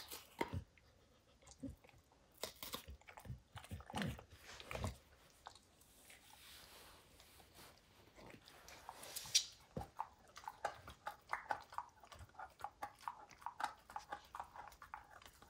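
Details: Crunching and biting as Max the dog tears into a baseball hide, with sharp isolated snaps early on, then a rapid run of crisp crackles and gnawing clicks toward the end.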